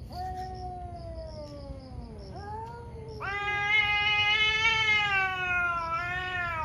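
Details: One of two fierce cats in a morning fight lets out a loud, rich caterwaul. It starts as a slowly falling moan, then jumps into a sustained, harsh, swelling wail, with faint high chirps behind.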